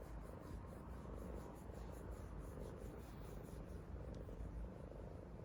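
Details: Hongeo, a yellow Korean Shorthair cat, purrs contentedly in a good mood. A low, steady, rumbling purr runs unbroken through the whole stretch, with a faint rasping texture and no other clear sounds.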